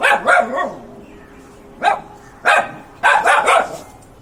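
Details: Pet dog giving repeated barks: a rapid cluster at the start, two single barks spaced about half a second apart, then a final fast run of three or four, all sharp and harsh over low room hiss.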